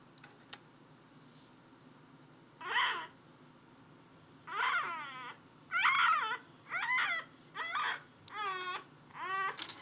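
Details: Athena, a pet cat indoors, searching for a noise: after a quiet start, six harmonic meows arrive roughly every second, each rising then falling, the later ones shorter and more clipped.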